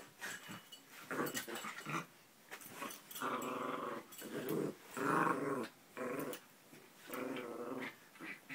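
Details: Play-sounding growling from two grey dogs in a small room, each rough rumbling burst lasting about a second, separated by brief pauses, growing louder toward the middle.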